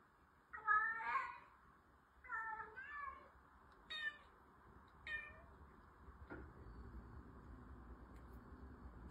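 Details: Indoor orange cat, female, voicing four meows over five seconds: two longer wavering ones, then shorter clipped calls, followed by a single soft knock and a quiet stretch of room noise.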